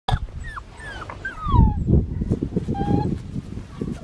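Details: Red tri male Australian Shepherd puppy, six weeks old and nine pounds, from an Oklahoma breeder; several short whining whimpers slide downward, one drawn out in the middle, over low rumbling handling noise and quiet music.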